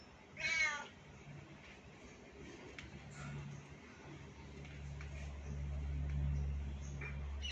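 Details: Domestic kittens with their mother cat: one short, high, wavering meow early on, then a steady low hum and quiet room noise with soft clicks.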